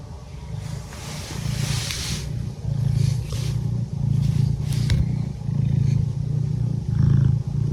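A domestic cat purrs steadily, a low rumbling hum that swells and fades with each breath.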